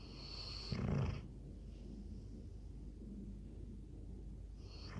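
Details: Labrador Retriever snoring while asleep, one loud low rasping breath near the first second, followed by quieter steady low breathing with faint hiss.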